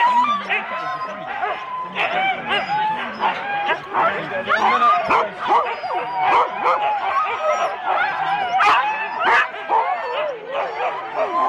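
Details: Huskies in four-dog sled teams at the start, Rendlesham, January 2016, taped on analogue cassette: a dense, overlapping chorus of high yips, barks and whining wails from many dogs at once, with human voices mixed in.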